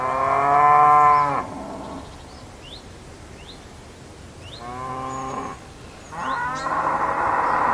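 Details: Cow lowing in three long harmonic moos, the first loudest and about 1.5 seconds, the later two shorter, with faint chirping birds between calls.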